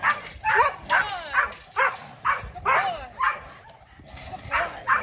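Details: Kolohe, a challenging male Rottweiler, on his first day of bite work in protection training, barks in quick bursts about twice a second, each bark rising and falling, with a brief pause near the end.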